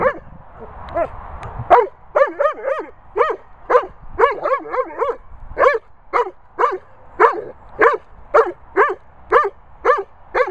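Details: Threatening Weimaraner Bella Boo facing Labrador Bernie over his ball. Harmonic yelping grumbles start in ragged clusters, then settle into a steady beat of single whiny barks roughly twice per second.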